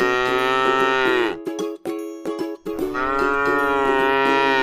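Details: Tame cow grazing on grass in a rice field, giving two long drawn-out moos that rise then sag, separated by a short pause with a steady musical tone running underneath.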